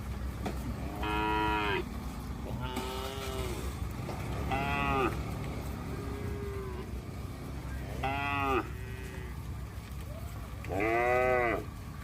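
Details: Road-roaming herd of tame cattle being driven along: a run of five or six loud harmonic moos, each about a second long, some falling in pitch, over a constant low rumble like traffic or engines.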